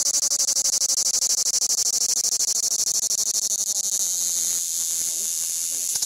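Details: A large cicada on a Crimean pistachio tree at Fiolent on the Black Sea coast of Crimea sings a loud, hissing buzz of rapid pulses, with fainter lower tones beneath; the recording is slowed down.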